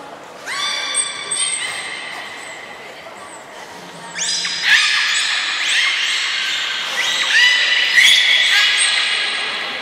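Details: Belugas Gray, Nana and Niko during a training session at Port of Nagoya Public Aquarium, Japan, on 14 October 2019: bright, harmonic whistles and squeals come in overlapping bursts, growing louder and denser in the second half, with an echoing indoor hall.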